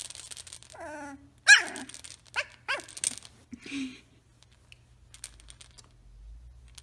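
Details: Samoyed puppies at three weeks old give a series of short, wavering whimpers and yips, one sharp loud cry leading into several softer falling whines, then quiet with faint scratching.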